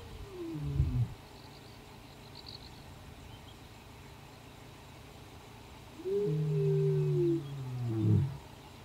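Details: White male lion of an ageing four-strong coalition, roaring back at a rival coalition of young males near Sweni, southwest of Satara; two deep, drawn-out moaning roars, one short and one longer swelling groan that ends in grunts, over a low steady background rumble.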